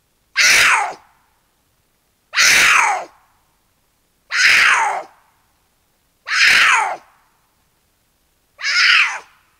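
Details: One of two cougars caterwauling to each other at night across a canyon in the Angeles National Forest, courting before meeting up, gives harsh, raspy screams about half a second long, every two seconds.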